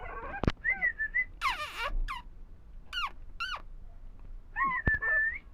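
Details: Puppies offered for sale in India give high, thin whines and squeaks, some rising and falling in pitch, others short sharp sweeps, with brief clicks between them.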